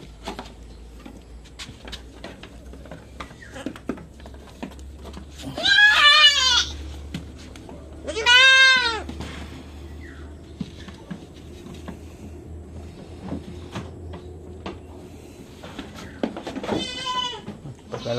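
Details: Goats kept on a backyard farm, being given iron injections; two loud, wavering bleats with rich stacked harmonics near six and eight seconds, a third late in the clip, over low engine-like hum, clicks and Tagalog talk.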